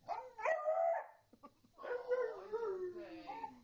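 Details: Beagle barking indoors while its owner's friend coaxes a pug to speak; a sharp tonal bark, a short pause, then a long drawn-out howling bark that slides downward in pitch over about two seconds.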